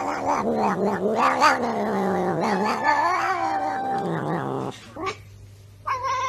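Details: Indoor cat producing a continuous, wavering, moaning caterwaul for over four seconds, pitch sliding up and down with rough growly edges, then brief quieter sounds and a short final cry.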